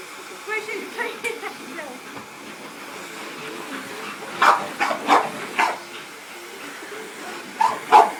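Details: English bull terrier playing with a vacuum cleaner, giving short sharp barks in two clusters, three then two, over quiet household sound, with a person talking nearby.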